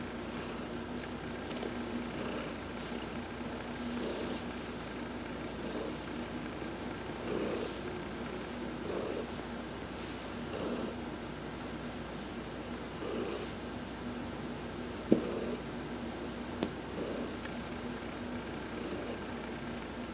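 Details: Purring from Heidi, a pet cat, being massaged during a sun bath on November 19, 2020; a continuous low purr holds steady, with soft pulsing swells and short high hissing bursts recurring every two to three seconds.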